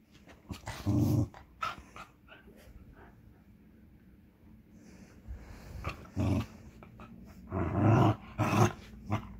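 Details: A Westie puppy and a cairn terrier play together indoors; short rough growls and scuffling bursts come in clusters near the start, around six seconds and again near the end, with quiet gaps between.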